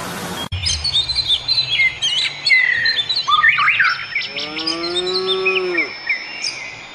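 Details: Cows on pasture: one clear, drawn-out moo late in the clip, gently rising then falling, preceded by dense, busy birdsong with chirps and trills throughout.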